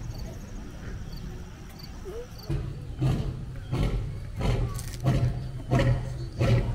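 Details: Lion meeting another lion: after about two and a half seconds of quiet background hiss, a quickening run of short, deep grunting pulses begins, coming faster than one per second and staying fairly steady in loudness.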